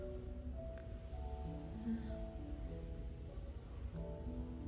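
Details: Quiet instrumental music with steady sustained tones and a low rumble underneath; no animal voice is heard.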